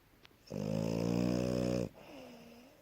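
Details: French Bulldog in deep, healthy sleep after running around, giving one loud, steady, buzzy snore lasting over a second. A softer, wheezy breath with a gently dipping whine follows it.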